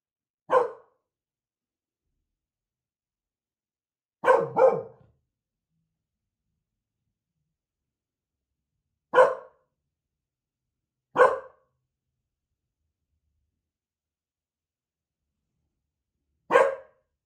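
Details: Male dachshund protecting his working mum while chewing bones, giving six short, sharp single barks. Two come close together near four seconds; the rest are spaced several seconds apart, with complete silence in between.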